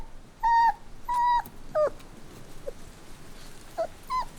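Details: Puppy crying: two long, steady, high whines in quick succession, then shorter falling whimpers and a brief squeak, with quiet gaps between the later cries.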